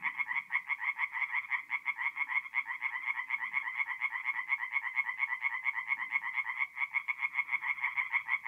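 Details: Tree frog chorus at night in a North-East Italian forest pond, mid-April; dense, continuous rattling croaks from overlapping callers pulse rapidly and without pause throughout, loud and nasal.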